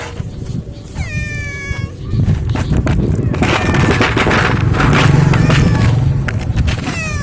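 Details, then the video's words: Free-roaming Indonesian village cat, a pet of unknown owner, being fed and reluctant to eat shop-bought food; a few harmonic meows rising then falling, over steady low rumbling noise and background clatter. "KUCING KAMPUNG"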